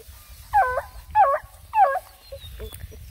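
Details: Black and Tan Coonhound puppies, one of nine out on a hike around a pond, give three loud, yelping barks about half a second apart, each with a short falling howl-like tone, followed by a few faint yips.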